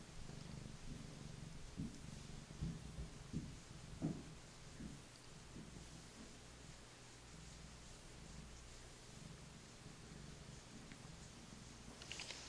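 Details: Male Maine Coon purring contentedly on a lap as he is petted, a rhythmic low rumble rising and falling, with a few rustling handling sounds and brief clicks.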